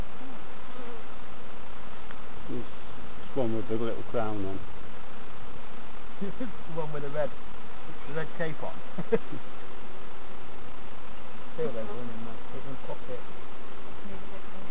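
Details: Buzzing honey bees at an opened hive, inspected by novice keepers at Summerwood Lane Allotments and Community Garden; a continuous low drone underlies several short bursts of people talking nearby.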